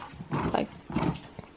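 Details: Huskies wrestling in play, looking like a fight but only playing: two rough, throaty growling bursts about half a second apart, each harsh and broadband, with quieter scuffling between and a brief tail at the end.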